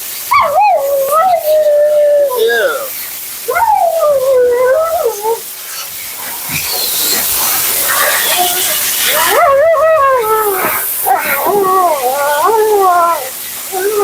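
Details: Siberian Husky Mila, a female on her second groom, grumbling through bath and blowout: wavering moaning howls in bursts, a quieter stretch dominated by blower or water hiss, then quick yodel-like yowls.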